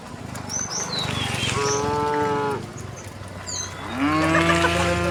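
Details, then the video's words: Resident cows in a group calmly wandering along a road: a steady, level moo of about a second, then a louder, longer moo that rises at its start. Small birds chirp in the background. "the sound of cows mooing"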